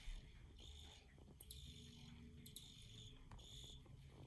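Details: Field cricket giving thin, high chirps in brief repeated bursts, faint against low background hum, with a couple of sharp taps.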